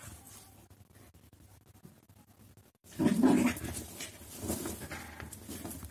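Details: A Labrador Retriever playing with his bed: about three seconds of quiet rustling, then a loud burst of short, rough, growl-like grunts mixed with scuffling, continuing in uneven bursts to the end.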